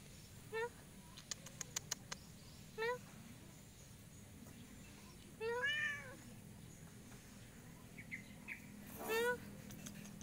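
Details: After a swift climb a cat finds it hard to come down and calls out with brief, thin mews spaced a few seconds apart, one longer wavering cry in the middle, over faint outdoor background hiss and a few clicks.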